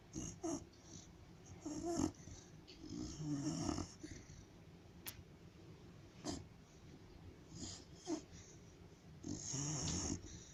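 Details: White pet dog asleep at home, talking in its sleep: short muffled whimpers, huffs and breathy grunts in irregular bursts, with quiet pauses between them in a small indoor room.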